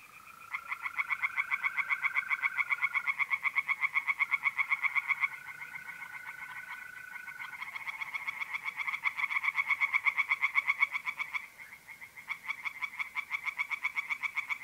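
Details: Singing tree frogs in a north-eastern Italian pond on a mid-April night, a sustained rapid pulsed chorus with short pauses, overlapping callers, and trilling mole crickets humming steadily in the background.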